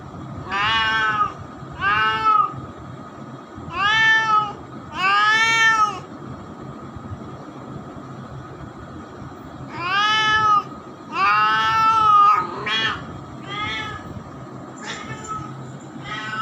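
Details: Young domestic cat, now grown up, giving a run of arching, rising-then-falling meows, some long and loud, others short and clipped, in irregular clusters with pauses, against faint low background noise.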